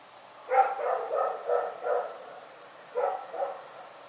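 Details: Night barking from Rex, a dog: five rapid, harsh barks at a steady pace, a second of quiet, then two more barks.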